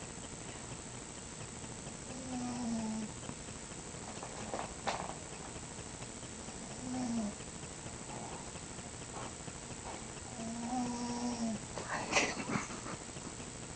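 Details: Snoring of a sleeping pet mouse called Scharlett: three short, tonal, nasal hums roughly every four to five seconds, with a few faint clicks and rustles between them and a brief scratchy noise near the end.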